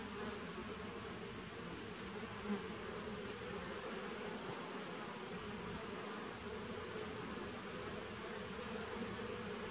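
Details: Continuous humming drone from honey bees of a 2017 nucleus hive, captured 19 September 2018; the buzz holds steady for the whole stretch with a constant thin high tone above and a small tap mid-way.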